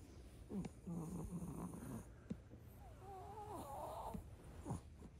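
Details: A Chihuahua just waking up gives cute, baby-like nasal 'kupii kupi' sounds in a small quiet room: a short snuffle, then thin squeaky whistling tones that waver up and down, ending in a soft snort.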